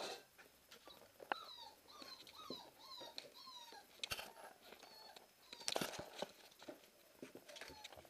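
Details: Siberian Husky puppies on their first Christmas Eve, indoors: high, thin whimpers that slide downward, given in a quick run of about six cries, with some clicks and knocks around them.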